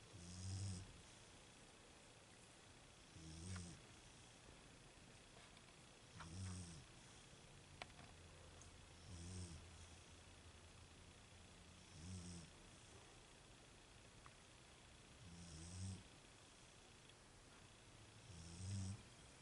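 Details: Snoring from a sleeping female Beagle: seven regular, low, grating snores about every three seconds, each a short rumbling breath, against a steady background hum.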